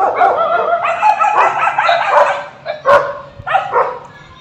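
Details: Pet dog whimpering and yipping in a string of high, quavering whines that break into short sharp yelps toward the end, the cries coming unevenly about once a second.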